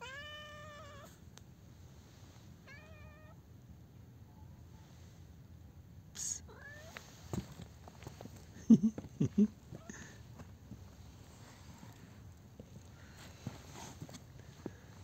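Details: Friendly, talkative street cat met by chance on a street: two meows open the recording, the first long and gently rising then falling, the second short, followed by light street noise, a sharp click and soft thumps.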